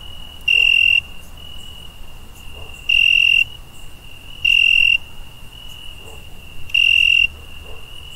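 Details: Night cricket sound: four bright, shrill, even trills, each about half a second long, spaced irregularly over eight seconds against a quiet background with a faint steady tone between them.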